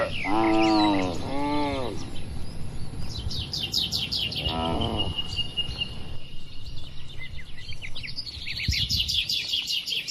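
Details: Barn cattle moo while eating: two short, arching harmonic moos back to back, a third after a few seconds, then only lively bird twittering and chirps over a low rumble for the rest.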